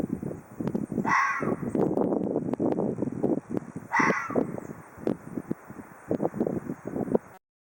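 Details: Two hoarse, breathy calls from an Ezo red fox about three seconds apart, set against continuous rustling and crunching movement noise.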